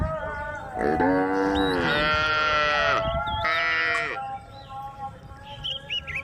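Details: Tame cows on a road lowing in turn: two strong drawn-out moos, the first slightly rising then falling, followed by quieter background with faint bird twitters.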